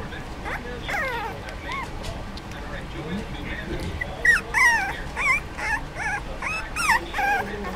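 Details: Four-week-old Dachshund puppies, clumsily learning to play together, give high, squeaky yips and rising-falling whines in quick bursts, with a person talking.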